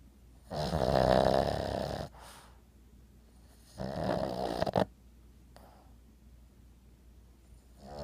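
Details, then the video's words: Sleeping Boston Terrier named Maude, 11 years old, twitching as she snores: two loud, raspy, buzzing inhalations of about one and a half seconds each, with hushed breathing between them indoors. "Boston terrier snoring."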